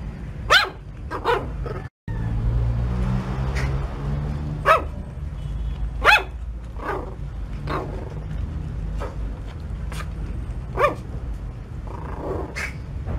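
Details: Puppy barking in a home, short sharp barks repeated at irregular intervals over low background rumble and a brief break in sound.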